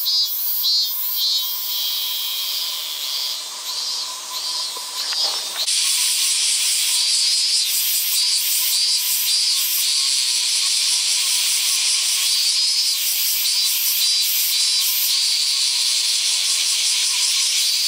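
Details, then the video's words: A male robust cicada (Hyalessa maculaticollis) in late summer sings a loud, shrill, pulsing drone that swells into a continuous buzzing wall. "★閲覧注意！！★ セミ特集 第３弾 ミンミンゼミ(♂) ～ Hyalessa maculaticollis ～"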